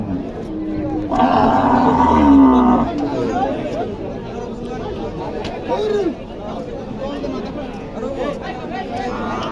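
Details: At the busy Aricha cattle market, a dairy cow among cows with calves only days old lets out a loud, strained moo lasting about two seconds, followed by men talking and haggling nearby.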